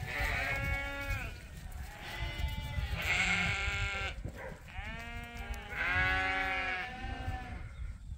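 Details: Sheep at Ewetopia Farms in a morning pile-up, waiting to be let out to pasture to eat fresh grass for the first time this year; several wavering, harmonic bleats overlap and follow one another, with a low rumble of background noise.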